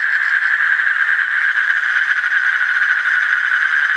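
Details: Continuous rattling trill of Asian common toads, a fast even pulsing buzz at steady mid pitch filling all four seconds without a break.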